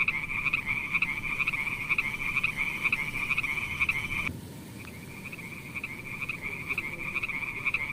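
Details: Frogs calling at night: a dense high trill with rapid pulsed croaks that cuts out after about four seconds, then returns more softly with scattered pulses.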